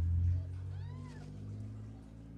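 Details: Ragdoll kitten raised in a home cattery in central Kansas, not caged, giving a single soft rising-then-falling meow over a steady low hum.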